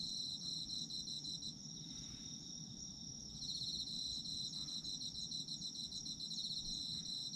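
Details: A sleep soundscape of autumn insects, with steady high-pitched trilling and a second caller's rapid pulsed chirps that pause briefly, then return louder, over a quiet low hum.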